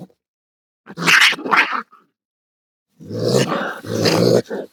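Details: Raccoon giving two harsh, raspy snarling bursts, a short pause, then two longer rough growling bursts, noisy and broadband, with silence between.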